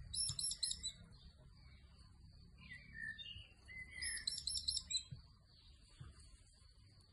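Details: Three baby hedgehogs keeping their mother busy make very high, thin twittering chirps in two quick bursts. Softer, lower whistled notes fall between the bursts, over faint rustling.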